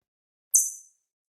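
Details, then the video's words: A pet chipmunk gives a single sharp, very high-pitched chip, the sound it makes when frightened. "다람쥐가 겁을 먹었을 때 내는 소리예요."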